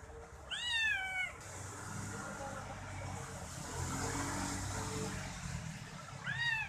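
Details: Kitten meowing as its owner massages it with a toe, clinging to the foot as if asking for more; two high, arching, harmonic mews, one near the start and one at the end, over a steady background hum.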